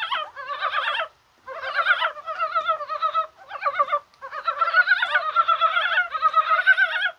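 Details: Mountain frogs calling in rain on a warm January 21st, possibly spawning. Nearly continuous overlapping croaks, quavering and nasal, merge into long bouts with only a few brief pauses.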